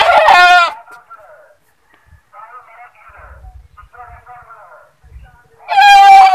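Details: Goat giving loud, quavering 'ba' screams, one at the start and one at the end, with quiet human speech in the gap between.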